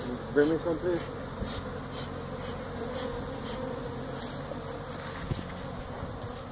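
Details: Honey bees from a feral hive in a tractor tire at a Mission, Texas citrus orchard, disturbed during removal. A dense, even buzzing hum throughout, with a few short louder pulses at the start and an occasional tap.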